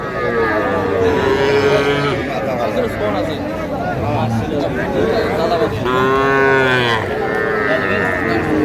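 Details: Small Sahiwal bull and heifer calves at a busy Noakhali cattle market in Bangladesh, 30 March 2025; long lowing moos, one near the start and another around the middle, sound over continuous bargaining voices and market chatter.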